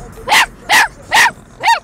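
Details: A Chihuahua mix puppy in a car barks along to a song playing, giving four sharp, high-pitched barks at roughly half-second intervals.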